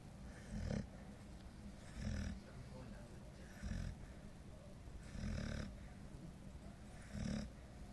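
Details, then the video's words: Nishka, a 9-month-old female golden retriever, snoring while asleep and very tired; low rumbling snores repeat roughly every one and a half seconds, with a faint hiss between breaths. "Nishka - the snoring golden retriever"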